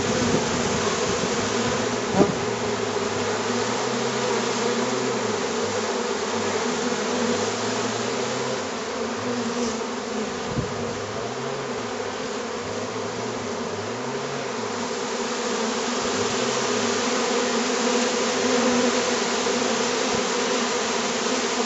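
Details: Bees entering a hive box right after their swarm was caught and contained, 25 July 2013, with dozens fanning the entrance to guide the rest in. An unbroken, even, humming buzz carries on steadily, slightly swelling toward the end.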